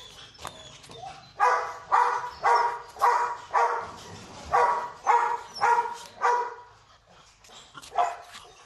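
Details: Rottweiler puppy with a wrinkled face at a kennel gives a quick series of about nine high, ringing yelp-barks roughly every half second, fading out, then one last yelp.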